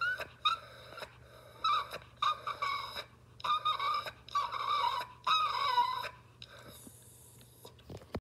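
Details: Tobias, a hungry cat, whines in a run of drawn-out, wavering high meows, six or so calls in close succession, over a steady low hum.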